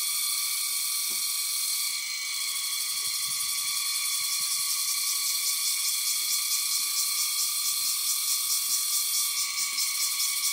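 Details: Many insects call at once from the top of Koh Samui, making a continuous high, ringing drone with a fine pulsing texture. Several steady tones stack on top of each other and hold without a break.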